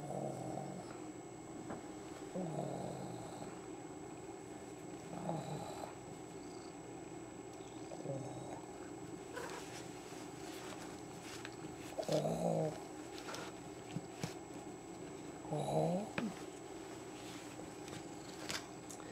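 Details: Baby Kitty, a female pet cat just over 26 months old, lying in a basket indoors in Lenexa, Kansas, on August 2, 2008, possibly coming into heat and nesting; soft rhythmic low purring throbs, with a few faint clicks and quiet room noise.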